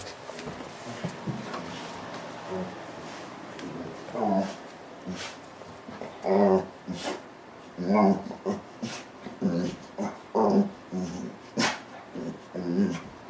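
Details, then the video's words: Female pet dog staying indoors, heard early in the morning and late at night: repeated short whining, moaning vocal bursts in an irregular series, with a person talking at the start. "Macey Making Noise"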